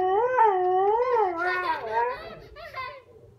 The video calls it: Siberian husky howling